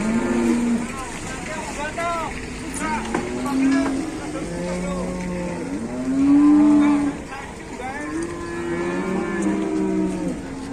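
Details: Big cattle are traded in Indonesia. Repeated deep moos come from several animals, some swelling and then sinking, roughly every second or two. A steady background murmur of people and engines continues throughout.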